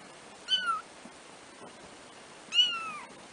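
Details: Four black kittens, three weeks old and first-born, give two short high mews about two seconds apart, each a bright harmonic call sliding downward; quiet indoor background otherwise.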